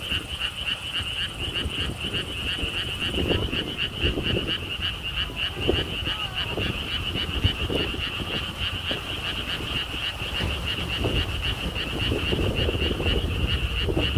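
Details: Rapid pulsed frog croaking at a lotus theme park in Siheung, South Korea, continuing steadily while strong low wind rumble and noise grow louder toward the end.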